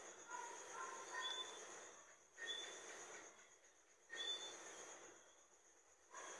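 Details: Johnstone's whistling frog (Eleutherodactylus johnstonei) giving short, sharp, rising whistled notes in a few bursts about two seconds apart, over a steady high insect-like hum and a dense background chorus.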